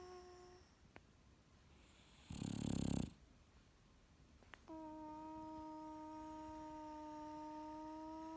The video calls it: English bulldog makes funny noises while sleeping ! Turn Volume Up